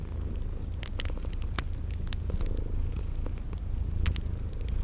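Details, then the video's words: Sleeping kitties purring in a cozy spring garden ambience: a steady low rumbling purr throughout, with sharp crackles from a fireplace and short high insect-like chirps recurring every second or so. "Relax with Cute Sleeping Purring Kitties"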